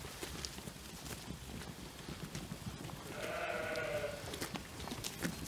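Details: Young Jura sheep about twelve months old, on pasture by day with the breeding ram recently added to the flock; one wavering harmonic bleat rises midway over a busy background of hoof clatter, rustling and clicks.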